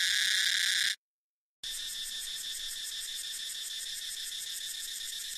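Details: Cicada chorus led by Tosena albata within a combination of species: a shrill drone, a brief silent break, then a quicker pulsing buzz with bright high ringing tones.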